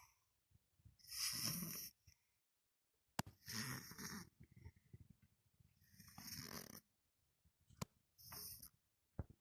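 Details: A sleeping cat snoring: breathy, rasping snores come in short bursts every two to three seconds, separated by silent pauses, with a few sharp clicks between breaths.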